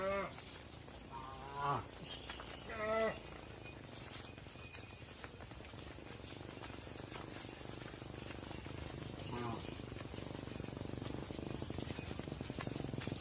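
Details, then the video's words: Mother cows entering a barn while calves wait outside on a farm; short harmonic moos in the first three seconds, one fainter later call, then a swelling wash of broadband noise. "Mother Cows Entering the Barn While Their Calves Stay Outside"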